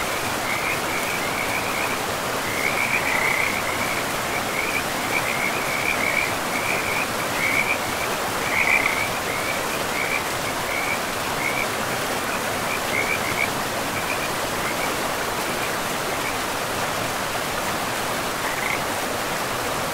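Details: Frogs by a river in a pristine, moss-covered forest, calling in a dense run of short, raspy trilled notes repeated rapidly for about fourteen seconds, then a lone later call, under constant hissing river noise.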